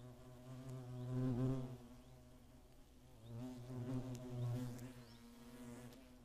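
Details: Hornets attacking in the Eifel in 2017, a year with at least ten nests nearby: a deep, steady droning wing buzz that swells and fades as insects pass close, loudest around the first and fourth seconds.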